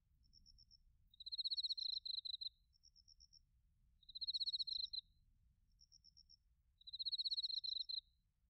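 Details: Autumn night sounds of bell crickets and crickets in Narita, Chiba, Japan, on a TASCAM Portacapture X8: three loud high buzzing trills, each about a second long and evenly spaced, with faint pulsed ticking between.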